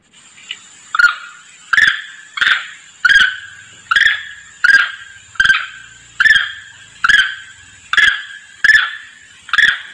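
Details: A monkey lure call: harsh, squealing calls repeated steadily, under a second apart, a monkey calling its companions.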